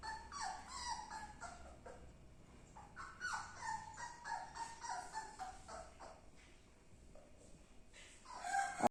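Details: Labrador Retriever puppy eating, making short high whiny whimpers in quick irregular bursts, bending up and down in pitch, with a quieter stretch in the middle before a final louder whine.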